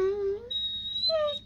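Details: Pet dog "talking" while being asked why it is sad: a tonal whine rises slightly, leaps to a long high steady note, then drops into a short falling whimper, with a low hum beneath.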